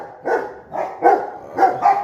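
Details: Pet Rottweiler guard dog barking on its owner's cue 'who is it, look', a phrase taught when young, reacting as if someone has arrived; four deep, harsh barks in two seconds, about half a second apart, over quiet background.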